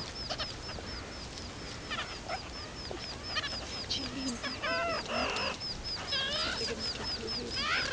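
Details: Baby meerkats exploring outside their burrow for the very first time and calling loudly: rapid high chirps repeated in quick series, with squeaky rising and wavering calls overlapping from several young.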